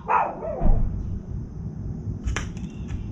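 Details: Dog barking nearby while a crow feeds calmly: a single short bark at the start, then low background rumble and a brief sharp knock.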